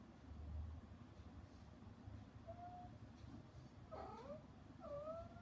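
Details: Mother cat Hana, shut out behind frosted glass while her kittens eat weaning food, calls toward them: a few short harmonic meows in the second half, quiet and partly masked by a low background hum.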